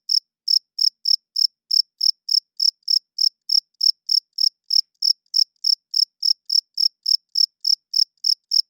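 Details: Male cricket chirping loudly at night to draw females and defend territory. Thin, high, metallic chirps repeat almost four times a second with steady spacing throughout, heard alone against complete quiet.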